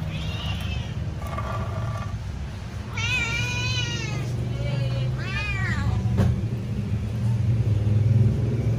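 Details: Pet cat waiting for its food, meowing loudly: a faint early meow, then two clear arching meows around the middle, followed by low steady background hum and a brief click.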